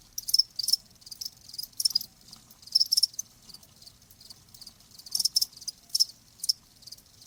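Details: Cricket sound from a nature recording meant to ease tinnitus; bright high chirps arrive in clustered bursts about every half to one second, separated by brief quiet pauses over a soft low hum.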